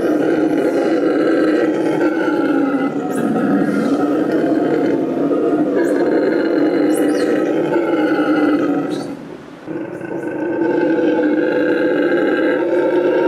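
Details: Roaring howl from Tango, a rescued Bolivian red howler monkey living at La Senda Verde rescue center, Bolivia: a deep, continuous rumbling drone that swells and briefly dips near the ninth second before resuming at full strength.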